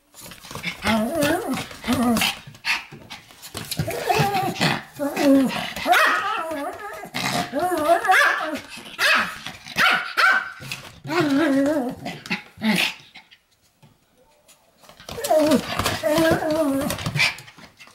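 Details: A Pomeranian 'lecturing' in long bursts of growly, talking-like barks and yowls that rise and fall in pitch. The bursts are separated by short pauses, with a longer silence before a final outburst.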